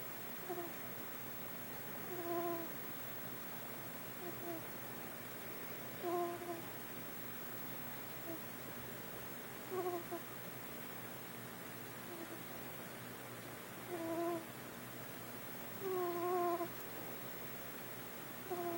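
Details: Four-week-old kitten snoring: five short, soft, tonal snores spaced roughly three to four seconds apart over a steady background hiss.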